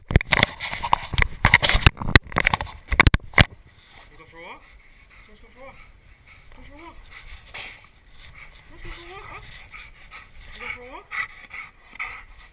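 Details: Yellow Labrador Retriever named Nucci, female, excited when asked if she wants to go for a walk; loud clattering and speech first, then a series of high, rising and falling whines and squeaks repeated about every second.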